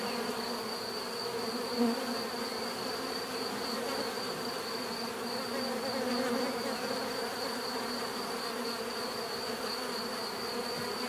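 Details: Steady collective buzzing of bees, a low layered hum with a short louder surge early on, plus a constant thin high whine overhead.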